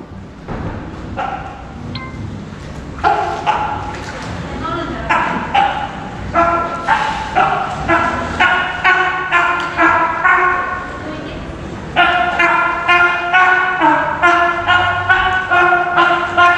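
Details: California sea lion Hinata, a young captive animal grown enough to play alone, at Ise Sea Paradise aquarium in Japan: harsh, harmonic barks repeated about twice per second in steady bursts, louder from the third second on.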